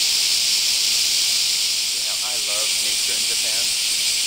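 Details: Japanese cicadas (semi) in Kansai, Japan, during a hot summer morning chorus: an unbroken, hissing, high buzz held throughout, with a man's voice speaking quietly underneath in the middle.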